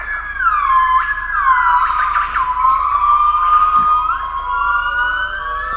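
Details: Wild yellow-cheeked gibbons in a forest in Cat Tien National Park, Vietnam give pure, siren-like whistled notes that swoop downward, then hold and rise again in long, smooth glides over several seconds.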